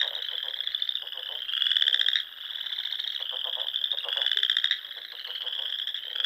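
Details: Frogs singing in spring in the Sandhills of Nebraska, at a pond among rolling dunes: a dense chorus of high, buzzy pulsed trills overlapping continuously, with louder bursts swelling every couple of seconds.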